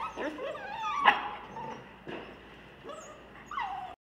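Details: Rescue puppies, a pit bull, Labrador and cur mix, give soft, faint whines and a few brief higher yelps with descending tails, fairly quiet and spaced out over a few seconds.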